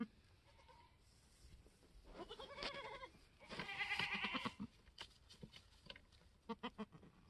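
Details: Third baby goat born on the homestead March 13, 2021, a newborn F4 mini Alpine buckling with frosted white ears. Two rough, quavering bleats in the middle, with short stuttered pulses trailing afterward.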